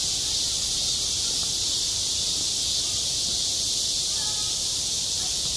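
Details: Cicadas singing in midsummer at a school playground: a dense, unbroken high buzzing hiss fills the air at steady loudness throughout, with no other clear sounds.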